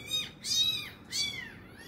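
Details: Kitten meowing near its injured mother as she finally feeds it after being abandoned; two high, arching mewing cries, each about half a second, over a quiet room.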